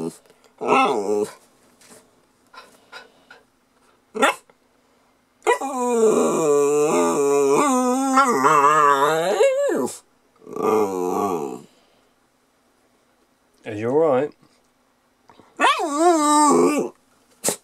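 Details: Lhasa Apso puppy 'talking' indoors: drawn-out wavering, yodel-like moans bending up and down in pitch, several in a row, with short whines and barks between, alongside a person's voice.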